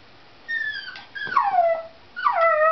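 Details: Pet dog whining in excitement over a cat outside, three loud nasal whines, each starting high and sliding downward, the middle one longest, with brief pauses between, indoors and otherwise quiet.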